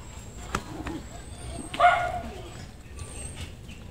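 A newborn rabbit kitten gives one brief, shrill squealing scream amid faint background hiss.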